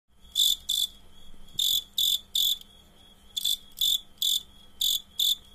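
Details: Cricket chirping during a fight: loud, harsh broadband pulses in pairs and short runs, about two or three a second, separated by brief quiet gaps, with a faint steady hum beneath.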